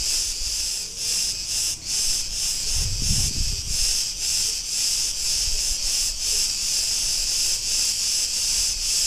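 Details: Cretan cicadas singing in a street in Ierapetra, Crete, Greece: a dense, loud, continuous buzzing hiss, pulsing slightly about twice per second, with a brief low rumble like passing traffic near the middle.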